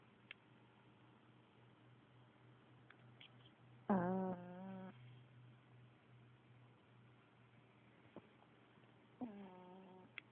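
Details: Pekingese dog. A sleeping Pekingese gives nasal, vibrating snores, each a drawn-out buzzy breath lasting about a second. Two snores come roughly five seconds apart, with a steady low electrical hum in the background.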